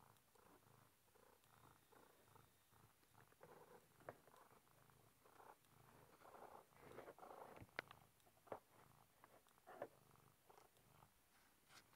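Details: Domestic cat, a male kitty stuck behind a bookshelf and seeming to enjoy himself, purring steadily in a low rumbling pulse throughout, with faint scratching and rustling against the shelf.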